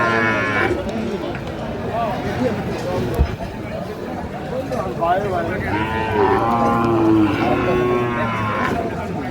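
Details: Young Sahiwal cattle being bought at a Tangail cattle market, 4 March 2025; several tonal, wavering moos, loudest toward the end, are layered over constant bargaining voices and market noise.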